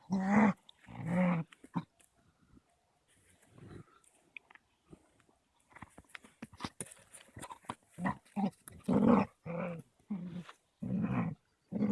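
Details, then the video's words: Caucasian Shepherds Amy, a 3-month-old female puppy, and Balu, a 21-month-old male, at rough play; deep throaty growls in repeated bursts of about a second, with scuffles, panting and clicks between them. "Caucasian Shepherd Male and female Puppy playing bully ruffian"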